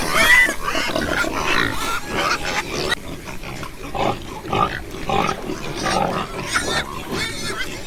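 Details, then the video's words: Pigs grunting in a group, rough short grunts and snorts repeating irregularly, with a louder squeal near the start and busy noisy background. "Ouça o som dos porcos - Porco - porco roncando - som do porco"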